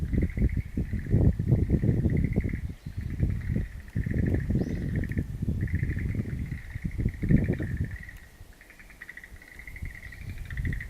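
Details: Frogs calling in a wild-plant garden on April 11, 2013: a steady chorus of pulsed, rattling trills holds one mid-high pitch, with overlapping callers and brief gaps. Heavy low rumbling gusts of wind or handling noise run underneath.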